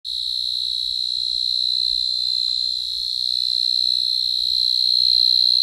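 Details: A cicada's loud, steady, high-pitched shrill drone holds without a break through the whole stretch, recorded on a night walk in an Asian tropical forest.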